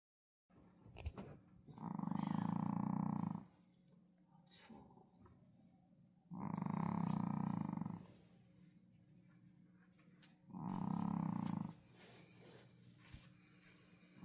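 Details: A pet dog asleep indoors, snoring: three long, rasping, low breaths each lasting over a second, spaced roughly four seconds apart, with quiet breathing between them in a small room.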